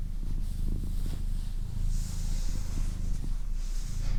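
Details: Female domestic cat purring steadily, a low vibrating drone in uneven cycles, accompanied by soft breathy hiss-like noise and faint clicks.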